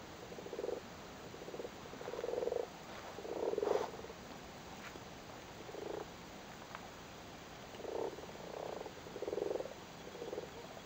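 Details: Several frogs in a flooded cattle grid in Cork, Ireland, sitting on their spawn during spawning, give soft low purring croaks in short bursts, some overlapping, spread irregularly over about eleven seconds.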